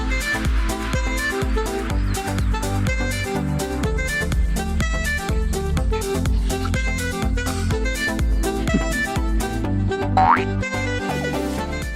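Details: Loud electronic music with a steady beat and layered synth tones plays throughout, with no animal sound.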